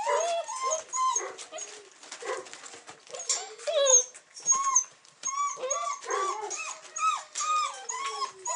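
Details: A litter of 42-day-old Weimaraner puppies, recorded 8 December 2008, gives high-pitched whines and short yips in uneven, overlapping bursts that rise and fall, some drawn out into thin, bending squeals.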